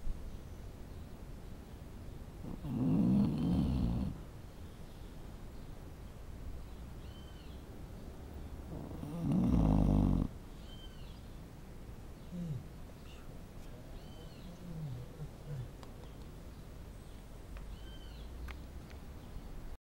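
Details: Dog snoring, with two loud, rough, low rasping breaths about seven seconds apart. Faint quiet breathing and a few soft high chirps fill the gaps.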